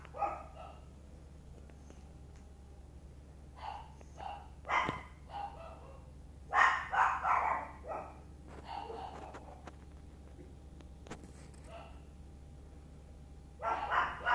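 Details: Playful Chihuahuas, young Sunshine with parents Muffin and Candy, bark in uneven clusters of sharp, high yaps, some rapid runs of three or four, separated by quiet gaps over a constant low electrical hum.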